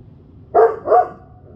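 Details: Central Asian Shepherd guard dog reacting unhappily to delivery trucks; two loud, deep barks in quick succession over a low background hum.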